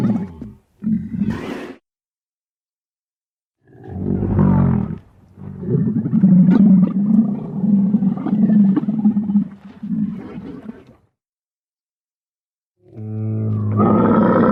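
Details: Camel vocalizing in repeated deep, gurgling roars, short bursts then a long rumbling bellow of several seconds, separated by silent gaps, with a final rising outburst at the end.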